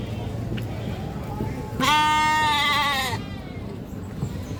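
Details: A goat giving a loud, drawn-out scream lasting over a second, a strained bleat with stacked harmonics that wavers and then fades, over steady low background rumble.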